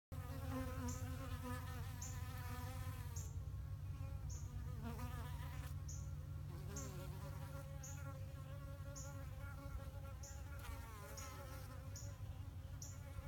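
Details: Bees that built a hive in a flowerpot, recorded September 2018: a steady low droning hum with wavering harmonic tones above it, and short high ticks repeating about every second throughout.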